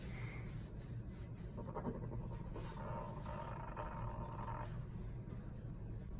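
A French Bulldog gives thin, squeaky, dolphin-like whines over a low rumbling background.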